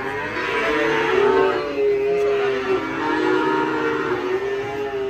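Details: Fat cattle on the rampage, dropping into a ditch as they come off a truck; two drawn-out, steady lowing moos run back to back with hardly a pause.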